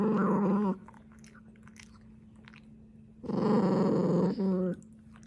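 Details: Dachshund, a slow eater, growling over its food: two rough, buzzy growl bursts, the first under a second long, the second longer and split in two, with quiet chewing between them and a steady low hum throughout.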